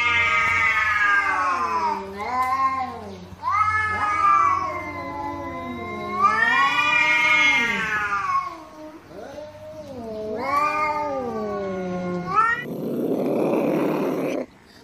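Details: Domestic cat meowing, a sound played to chase away mice: long, drawn-out wavering meows that rise and fall, several running into one another, with a short burst of rough noise at the end.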